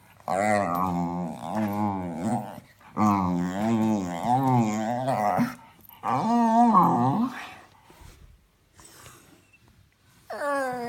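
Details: A pet dog makes funny noises: loud, wavering, howl-like moans with shaky pulsing pitch in three long bouts, then a pause with faint clicks and a final falling moan.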